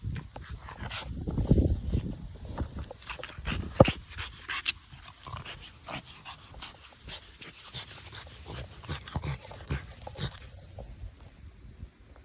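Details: An excited, playing French Bulldog, being told to be gentle, gives low grunts, snorts and small whimpering yips in irregular bursts.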